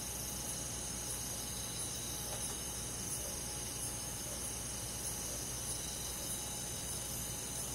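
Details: Summer-night chorus of crickets with other forest insects in the countryside: continuous high, hissing trill and soft rhythmic chirps, evenly sustained throughout, with a steady low background drone and one faint brief knock.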